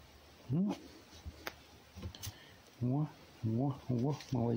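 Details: Wild fox just woken up, eyes still unrubbed, offered a mouse for breakfast; short harmonic whining calls, rising then falling, one near the start and a quick run of four toward the end, with a man's coaxing voice between.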